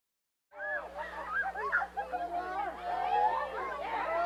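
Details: A friendly humpback whale that has approached a boat uses its blowholes to make a dense run of rare, overlapping moans, whoops and squeals that rise and fall.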